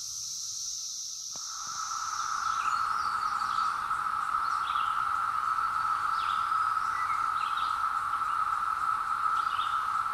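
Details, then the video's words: Periodical cicadas emerging after 17 years, chorus recorded on a hill in the woods with a Zoom H2: after a brief higher hiss, a steady droning mid-pitched buzz swells in and holds, with scattered bird chirps above. "Cicadas Arrive After 17 Years | Sounds"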